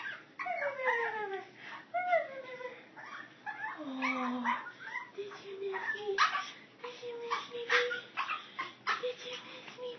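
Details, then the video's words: Female teacup chihuahua greeting her owner on arriving home, showing she missed her: high whining, yodelling whimpers sliding up and down, repeated through the clip, with the owner talking softly over it. "Teacup chihuahua greeting"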